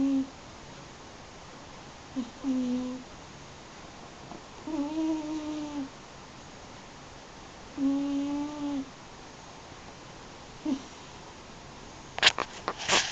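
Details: Sleeping eight-year-old cat Yuzu, a Munchkin and American Shorthair cross, snores steadily: four humming, low-pitched breaths roughly every two to three seconds with short snorts between, then a few sharp clicks at the end.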